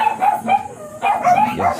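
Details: Miniature Pinscher at a morning kennel in Manaoag, home of the blue mini pinscher Ziggs, giving two quick pairs of bright, tonal barks with a short whine-like note between them.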